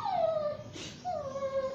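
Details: Bath time for Basuki, a Shih Tzu–Yorkshire Terrier mix: two drawn-out, tonal whines, each starting high and gliding down, with a short splash of water between them.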